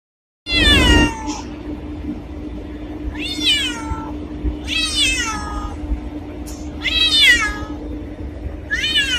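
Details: Black cat meowing: four or five loud, harmonic-rich meows, each rising then falling and sliding down, spaced roughly every one and a half to two seconds over a steady low hum.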